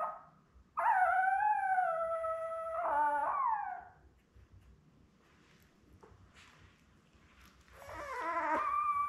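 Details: Labrador Retriever litter of seven newborns, born May 24, 2021, beside mother Belle, watched on a live puppy cam on June 4. A sustained, slightly rising harmonic wail of about three seconds fades out, and a quieter stepped whine follows after a pause.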